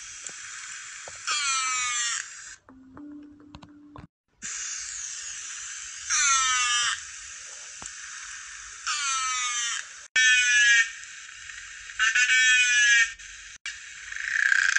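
A narwhal gives repeated, falling, buzzy whistle-like calls over a steady underwater hiss.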